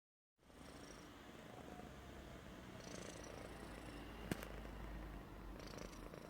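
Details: A happy Persian cat snores in a low, steady rumble with a soft, breathy texture.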